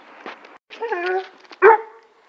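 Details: Male neutered Weimaraner named Blake, whose owners worry about leash pulling and barking at other dogs, gives a short low harmonic bark, a drawn-out moaning bark, then one loud sharp bark, with faint human voice in the background.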